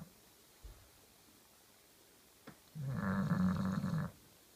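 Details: Bulldog named Kenta, a pet, sleeping soundly and snoring; a single rasping, low snore swells in near the end after a quiet stretch with a faint click.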